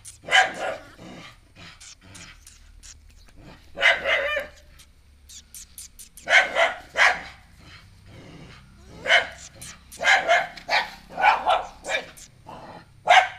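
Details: A pet dog at home barks repeatedly at a newly arrived stray puppy she dislikes at first: sharp broadband barks in irregular bursts, some in quick doubles and triples, with short pauses between volleys and quiet background.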